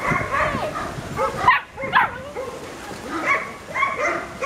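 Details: Young Hungarian Vizsla puppies born on 6th October, giving thin whimpers and squealing yelps that bend up and down in pitch, several voices overlapping in quick, irregular bursts.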